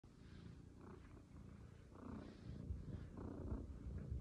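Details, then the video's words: A shelter Maine Coon kitten named Leo purrs with a low, steady rumble that swells and fades with each breath. "Leo the Shelter Maine Coon Kitten shows off his lovable purring side"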